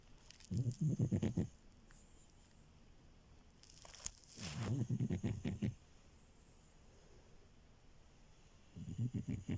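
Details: French Bulldog named Milo, a puppy, sleeping on a bed; three bursts of rough, low, rattling snores with fast pulsing, separated by quiet pauses indoors.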